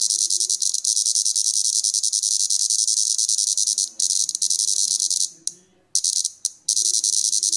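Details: Plebeian cicada, the largest in Europe, annoyed after being disturbed while feeding on sap: sustained shrill grating buzz, breaking into a few short choppy bursts near the end.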